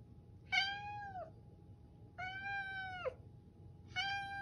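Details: Toto, an affectionate pet cat, meows in a hoarse voice, trying hard to communicate: three drawn-out harmonic meows, each about half a second to a second long, falling at the end, spaced roughly every one and a half seconds indoors.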